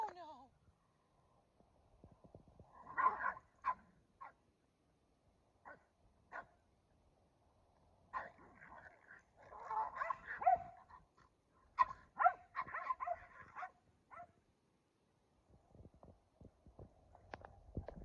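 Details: Kumo the Keeshond and Sully the Boston Terrier play tug in the rain; bursts of rough, grumbling growls and snarls come in clusters between quiet gaps, with scattered sharp clicks and knocks from the play.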